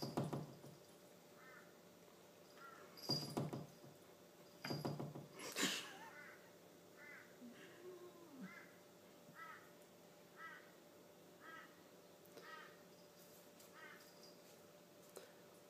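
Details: Ten-month-old Tonkinese kitten asserting himself over a four-year-old German Shepherd at home: brief yowling meows repeated about every second, after several heavy thumps and bumps, with a constant indoor hum beneath.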